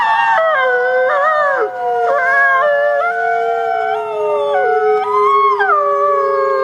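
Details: Wolves howling recorded by a trail camera: long steady tones overlap, each stepping down or up in pitch every second or so, forming a continuous layered chorus.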